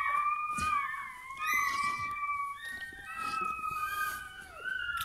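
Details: Newborn Bernese Mountain Dog puppy at its birth, indoors: a run of high, thin, squeaky whines that waver and slide up and down, almost unbroken, with a woman's soft French encouragement in the background.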